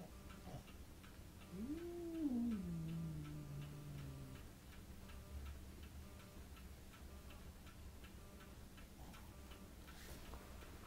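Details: A French Bulldog facing a cat gives one drawn-out grumbling whine that rises, then slides down, over a steady ticking clock.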